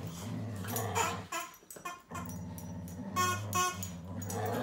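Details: Low, steady growling from a Whippet locked in a fight with a duck, a deep rumble that breaks off briefly around the middle and returns, topped by a few short high squeals.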